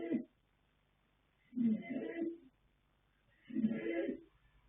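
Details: Asleep and snoring, the colt foal Yanta, sired by Fast Force from dam Pink Blossom, draws long, gravelly, throaty breaths roughly two seconds apart, in a quiet indoor setting.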